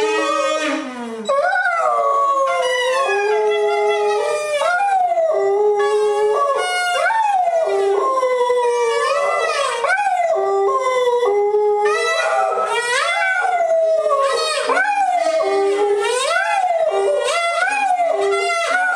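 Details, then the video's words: Pet dog howling the Dragon chant in a duet with a saxophone while relaxing on a staircase; continuous swooping, wavering howls blend with sustained saxophone notes throughout. "Ziggy Sings Dragon Chant"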